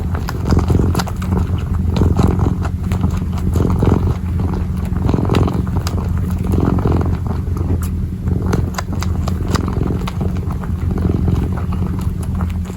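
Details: Kitten purring while kneading, recorded close up: a steady low rumble throbbing at an even pace, broken by soft scratching and tapping clicks from the paws.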